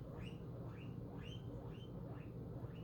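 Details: Female guinea pig wheeking after hearing a plastic bag rattle: a series of rising, squeaky whistled calls repeated about every half second, with a low steady hum underneath.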